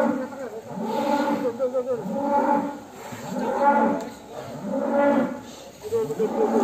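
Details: Agitated jumbo cattle coming out of the pen, repeated deep moos roughly every one and a half seconds, each rising then falling, over light background noise.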